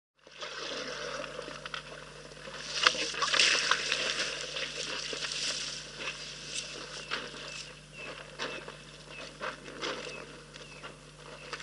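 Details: Elephants drinking at Rosie's Pan waterhole, filmed by a wildlife live camera: continuous wet sloshing, slurping and splashing, swelling louder around the third and fourth seconds, with a steady low hum beneath.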